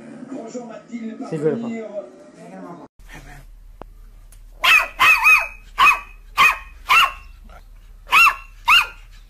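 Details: Pet dog giving a run of about nine sharp, high, yapping barks at irregular intervals, following a stretch of music and voices.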